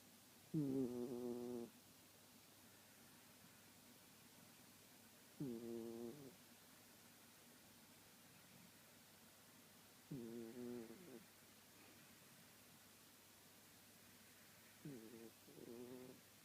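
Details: A sleeping Shiba Inu snores softly, each low rumbling breath lasting about a second and coming roughly every four to five seconds in an otherwise quiet room.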